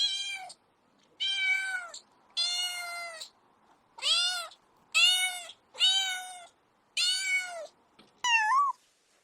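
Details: Kittens chasing butterflies on grass meow in a quick series of seven bright, slightly falling cries, each under a second, then finish with a short rising squeak; the background is otherwise quiet.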